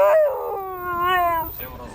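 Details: Siberian Husky howling in a car in response to a siren: a single sustained tonal howl of about one and a half seconds, starting higher, then holding steady with a slight rise before fading, with music behind.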